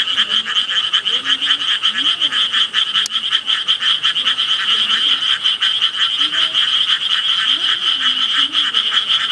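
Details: Frogs calling in a dense chorus: a steady, shrill wall of rapid pulsed trilling, high-pitched and unbroken, with a few faint lower croaks beneath and one sharp click near the third second.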